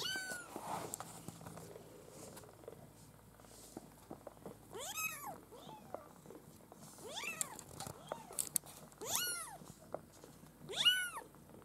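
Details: Litter of Maine Coon kittens at a breeding cattery; thin high meows, arched and falling, come in a loose series in the second half after a quiet start with faint rustling.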